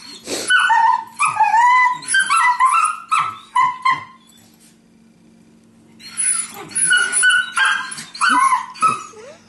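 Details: A Beagle and a Terrier at home play-sparring on a couch without contact: squealing, whimpering growls and sharp yips for four seconds, a quiet pause, then another noisy burst of yelps and grumbles over a faint low hum.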